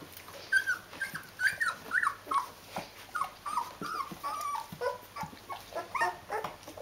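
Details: Rhodesian Ridgeback puppies, D-litter, 14 days old, with their mom: a steady run of high, wavering whimpers and squeaks, bending up and down in pitch, roughly two per second, indoors.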